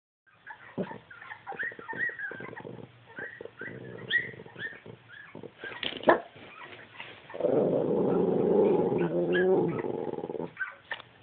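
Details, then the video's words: Rosie, a two-year-old tricolor Cavalier King Charles Spaniel, upset while puppies play on a screen: scattered short whines and yips, then a sustained, rumbling growl-moan of about three seconds near the end. "Cavalier making the strangest noises"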